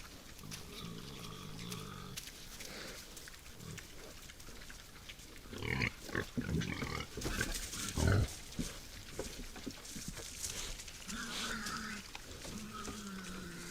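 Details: Boars feeding at night at a forest feeding spot: wavering squeals at the start, a noisy middle of bumps and rustling, then more short, whining squeals near the end.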